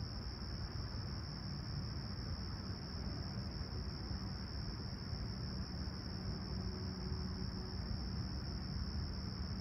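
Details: Summer morning crickets at Humber Bay Shores in Toronto, recorded on a clear, calm sunrise on July 28, 2020, at 20ºC: a sustained high even trill runs throughout, with a deep constant rumble and a faint low hum.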